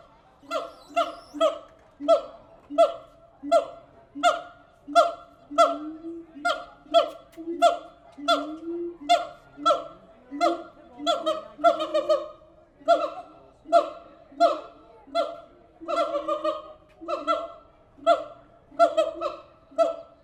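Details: Captive siamang apes at the Tulsa Zoo calling steadily: a long series of loud, evenly paced barking hoots, roughly one every second, with rising notes in between and some overlapping voices.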